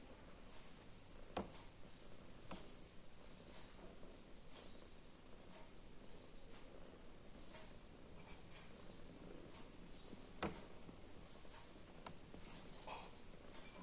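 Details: Quiet, continuous low rumbling purr from a female cat thinking about whether to play or sleep. Scattered sharp ticks and light tapping sounds recur over a hushed indoor background.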